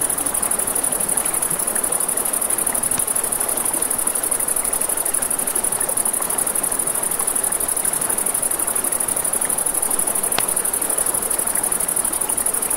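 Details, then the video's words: Crickets at night by a river: an unbroken high, thin trill holds steady throughout, over a broad rushing wash of river water and occasional sharp pops from a crackling campfire. "Crackling Fire, Crickets, Ambient Nature Sounds"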